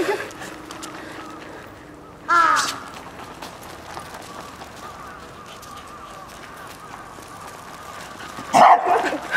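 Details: Two isolated barks about six seconds apart from one of two dogs, a Corgi (Kotaro) and a Toy Poodle (Chirol), romping in snow; a steady low outdoor hum fills the long quiet gap between them.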